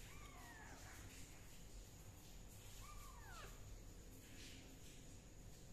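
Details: Kitten undergoing fungus treatment with leaf juice gives two arched, falling meows in the first half, over steady background hiss.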